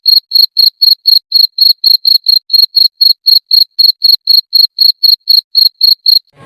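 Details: Cricket calling at night to attract a mate, helping it breed in darkness; a steady series of high, clear chirps, each a quick double pulse, repeated about four times a second for six seconds on a silent background.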